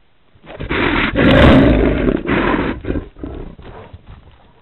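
A bear gives deep, rough roars in loud bursts, each lasting about a second.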